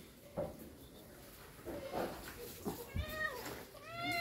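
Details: Domestic cats excited for egg treats, indoors: talking voices and clatter first, then two clear rising-falling meows near the end, the last drawn out and harmonic-rich.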